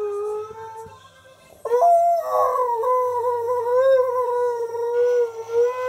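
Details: Key, a male Husky, squeaks indoors as he makes his entrance: a softer opening note, then a sudden loud, sustained tonal howl with strong harmonics, held steady with gentle wavering to the end.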